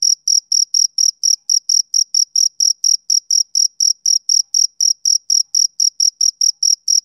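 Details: High, metallic chirping from a male cricket on a summer evening: brief pulses repeated about four times a second in a smooth, regular pattern, alone in a quiet setting.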